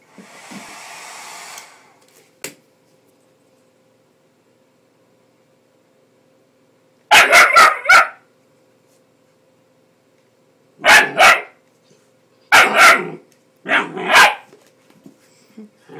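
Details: Bull Terrier puppy Rocco, ten weeks old, barking at a hairdryer he dislikes: a hairdryer hum opens, then bursts of sharp, paired puppy barks come in clusters of two or three after a pause.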